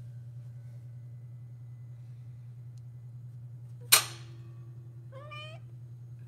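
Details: Orange kitten indoors gives one short wavering meow, pitch stepping up and down over half a second, after a sharp knock; steady low hum throughout.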